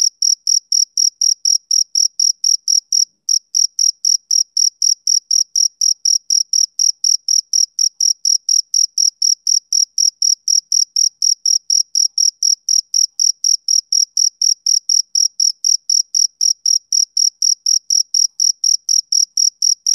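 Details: Rhythmic chirping of a male cricket: shrill pulses repeated about four times per second, with one brief pause near three seconds before the steady beat resumes. No other sounds.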